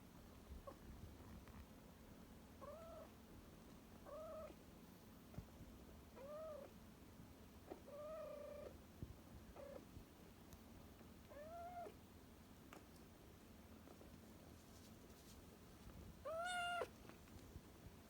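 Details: Rescued cat Komugi, one of two rescued cats settling into a new home, gives soft short meows roughly every two seconds, each a brief arched tone, ending with a louder longer meow, against a quiet indoor background.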